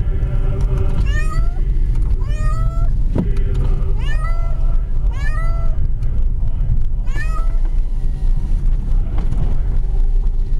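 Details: Kitty meowing continuously during a car ride: a steady series of about six insistent meows spaced one to two seconds apart, over loud low engine and road noise.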